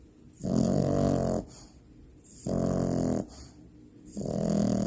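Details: Loud snoring from Finn the Frenchie puppy deep asleep: low, gravelly inhaled rattles lasting about a second, three in a row roughly every two seconds, separated by softer hissing exhales.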